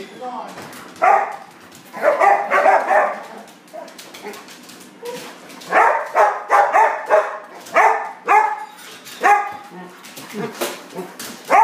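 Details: An excited English Springer Spaniel awaiting dinner barks repeatedly in short bursts, sometimes doubled or tripled, about every half second to second. The barks are loud and rough, set against steady background noise.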